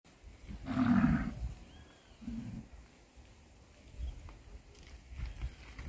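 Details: Cattle lowing: one loud, deep moo of about half a second with a rich low tone, followed by a shorter, quieter second moo, then low rustling and faint background noise.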